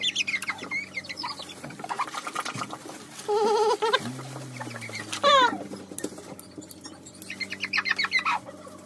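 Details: German Pointer puppies having their nails trimmed, reacting with high-pitched whines: a steady nasal whimper, then a sharp, quickly falling yelp, amid scattered squeaky cries, with a low human voice speaking between them.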